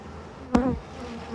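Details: Honey bees in a hive under inspection, with an anti-mite strip in place, hum steadily at a low pitch while a sudden thud from the hive cuts through briefly.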